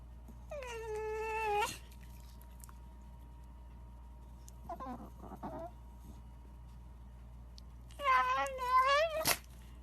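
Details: A Shiba Inu wrinkling its nose, giving drawn-out nasal whines with rich overtones that hold steady and then bend, a short wavering grumble in the middle, and a final wobbling whine that ends in a sharp click.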